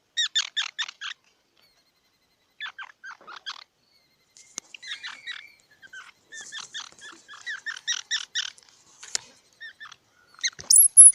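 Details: Squirrel chattering in scattered bursts of high, squeaky, stuttering notes separated by pauses. Faint clicks in between and a sharp high squeal at the end.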